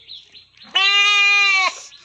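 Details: Goat undergoing artificial insemination on a farm; one loud, steady, nasal bleat of nearly a second with strong even harmonics, preceded by a faint high tone and low background noise.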